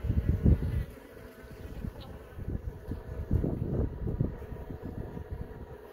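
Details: Young honey bees emerging from brood cells in a hive; a low, rumbling buzz that swells and fades in uneven pulses, with heavy low-pitched handling or wind-like noise.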